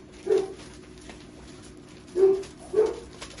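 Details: Puppies from a kennel litter almost four weeks old in Nijmegen, Netherlands, giving three brief low-pitched yips, one alone then two close together, over a quiet background hum.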